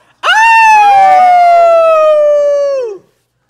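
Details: Rex, a pet dog, howls along with his owner during a howling lesson: one long drawn-out howl that rises quickly, then holds and slowly falls for nearly three seconds, with a second, lower voice overlapping it.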